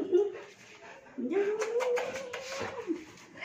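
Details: Saint Bernard puppy playing with its mother indoors: a short whimper, then a longer rising, drawn-out whine that holds steady before dropping away, with faint voices in the room.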